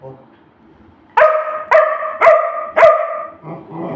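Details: Pet Labrador Retriever barking to ask for food: four loud, clear barks about half a second apart, ending in a short softer sound, with a quiet lead-in before the barks start.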